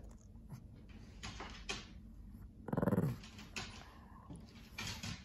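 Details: A playful, talkative male Shih Tzu/Pekingese dog, playing indoors with a lion cub toy one afternoon, gives one brief, low grumbling vocalization amid scuffling and thumping noises; he often snorts.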